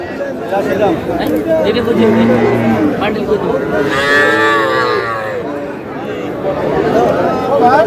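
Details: Bull calves sold at a Madaripur market in Bangladesh on 28 April 2026 give a low moo, then a louder, wavering bawl lasting about a second, amid constant crowd noise and bargaining voices.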